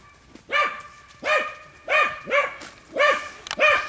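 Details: Boar training pen with a dog barking at wild boar: five loud, arched barks roughly every half second, each with a bright harmonic ring.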